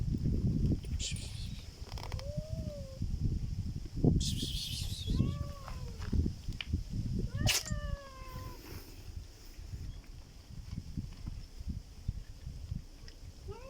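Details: Black cat making a strange sound: several short, wavering meows with rising-then-falling pitch at about two, five and seven seconds, each with a distinct upper harmonic, over steady low rumbling background noise.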